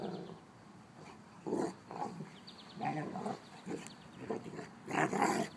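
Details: Old female mastiff with six-month-old Brice, Lola and Gertie named: a series of short, rough growling bursts about every half second to second, uneven in loudness and growing stronger toward the end, with faint background sounds.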